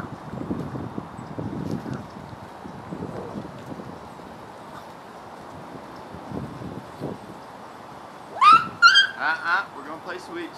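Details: Vizsla puppies at a morning playtime session: low human talk for most of the stretch, then a sudden burst of high, wavering whines and yelps near the end, several in quick succession, with rustling outdoors.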